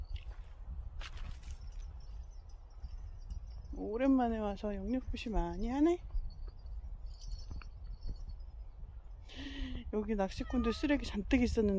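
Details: A domestic cat, called extremely dog-like, gives two drawn-out meows that rise and then fall, followed by a quick run of shorter meows. Light taps and footsteps sound in the background.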